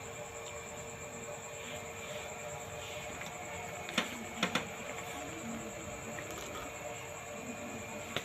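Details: Quiet indoor hum with steady electrical tones and a few sharp knocks midway, without any audible animal.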